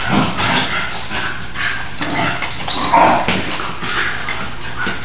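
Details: Two nine-month-old Basenji sisters playing wildly indoors on a rainy day give a series of short, breathy whines and yips, with a person speaking softly nearby.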